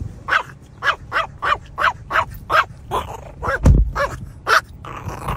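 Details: Dog barking in a steady run of about ten rough, growly barks, each roughly half a second apart, with faint room noise between them.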